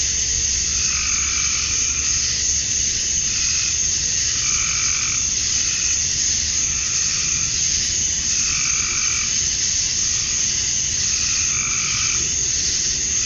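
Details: Male cicadas singing at summer dusk in Georgia, USA, to attract females: a continuous high sizzling drone, joined by lower rasping calls that come in bursts every one to two seconds.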